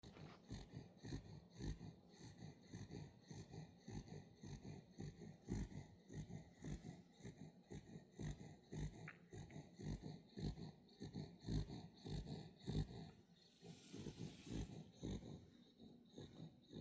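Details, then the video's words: Welsh Corgi puppy snoring in its sleep indoors, soft rapid rasping breaths repeating about twice a second, quiet throughout, with a brief rustle near the end. "코골며 자는 강아지"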